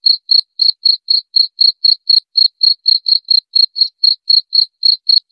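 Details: Shrill, evenly repeated cricket chirps, close to four per second, each a short bright pulse, continuing steadily with nothing else audible.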